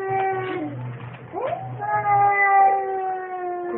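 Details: Baby cat meowing: a short harmonic meow, a quick rising chirp, then a long, steady, drawn-out meow held for about two seconds at the end, with a low hum underneath.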